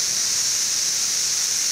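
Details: A massed chorus of 17-year Brood XIV periodical cicadas, Frankfort, Kentucky, June 2008, two weeks past emergence, forms a continuous shrill static-like buzz with no breaks, masking a nearby running air conditioner.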